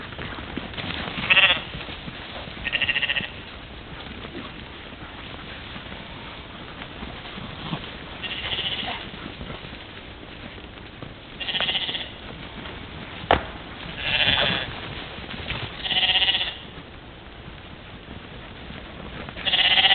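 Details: Morning play of a European mouflon herd at a waterhole, Czempiń forestry district, Wielkopolska, Poland, 13 July 2018, filmed by trail camera; repeated harmonic bleats from several animals, spaced irregularly every few seconds, over soft rustling.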